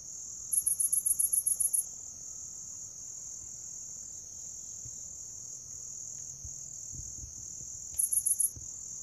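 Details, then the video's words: Grass insects calling: an unbroken high-pitched ringing hum runs throughout, broken near the start by a rapid train of about ten sharp, very high pulses, and later by a shorter run of four. "풀벌레 울음소리"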